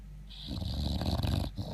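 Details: An asleep English Bulldog gives one loud, throaty snore lasting just over a second, a deep rattling rumble with a hissing edge, starting after a brief quiet moment.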